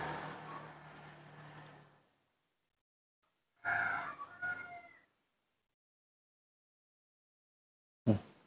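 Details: Hand-reared newborn monkey crying for milk: a brief wavering, squealing call of about a second and a half, following rustling handling noise, then silence and a sharp knock at the end.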